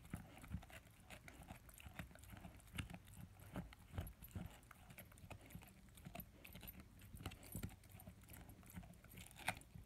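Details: A German Shepherd and Labrador mix, ten months old, gnaws his first bone up close: steady scraping, crunching and knocking sounds, uneven in rhythm, with low thumps now and then.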